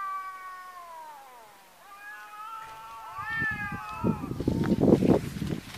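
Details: Fighting domestic cats, a neighbour's cat clashing with a rival: a falling moaning yowl, then a rising and falling wail, followed by loud scuffling thuds and broadband noise of the scrap itself.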